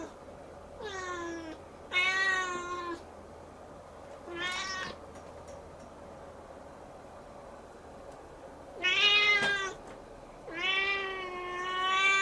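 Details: Siamese kitten looking up at the ceiling keeps up a long bout of crying, rendered as "Nyao Nya Nyao": five loud, bright meows, some short and some stretched, with quiet gaps between them indoors.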